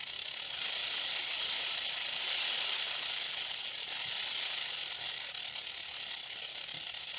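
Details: Western diamond-backed rattlesnake rattling its tail: a continuous, even, high-pitched buzzing hiss held at steady loudness throughout, with no other sounds.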